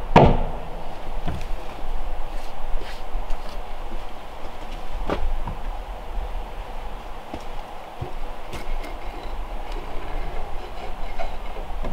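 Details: Low rumbling background noise with a few sharp clicks and knocks, like work sounds or machinery, and no animal voices.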